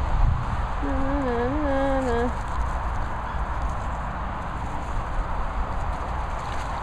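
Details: Dog vocalising during an argument between kennel dogs at training and boarding kennels in the Worcestershire countryside: one wavering, harmonic, moaning whine lasting about a second and a half, rising and falling, over a steady low rumble of wind or background noise.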